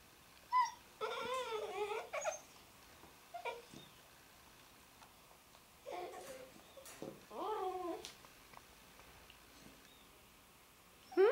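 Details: A Labrador puppy, moved into her new home a day earlier, gives wavering, whiny howls that rise and fall in pitch with brief pauses, "singing" along with her owner.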